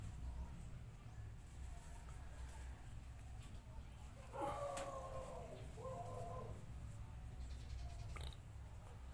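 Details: Two female cats, described as mating; a short wavering meow followed by a second drawn-out yowl, over steady low background rumble.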